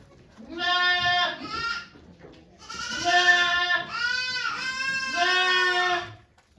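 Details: Domestic goat at Yoshigake farm in Japan on 3 May 2023, as Okayu delivers twin kids: a series of loud, long, quavering bleats, four or five in a row with short pauses, over a quiet background.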